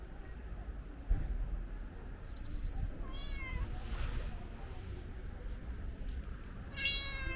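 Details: Friendly ginger stray cat begging for food, uttering a falling meow near three seconds and another near the end, with a short high rattling burst and constant low background noise.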